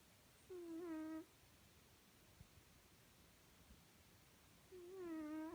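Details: Sleeping cat snoring indoors: two drawn-out, tonal, whistle-like snores with a wavering, slightly falling pitch, about four seconds apart, with near silence between them in a quiet room.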